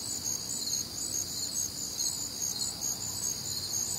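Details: Brief stretch of a cricket chorus from a warm, humid Midwestern summer night: high thin chirps repeated quickly and evenly across overlapping bands, steady and continuous.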